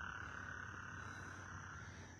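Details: Frogs calling loudly at night in northwest Harris County, Texas: a steady, high, continuous trilling drone under low rumbling background noise.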